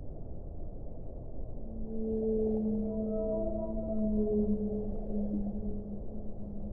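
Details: Whale song: drawn-out tonal moans with layered harmonics begin about two seconds in, overlapping and gently wavering, over a steady muffled rushing background.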